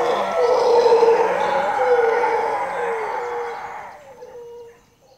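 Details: Howler monkeys of a troop living in jungle near Zancudo, Costa Rica, calling around 5:30 am; a loud chorus of deep droning roars with wavering tones that tapers off into quieter, drawn-out howls.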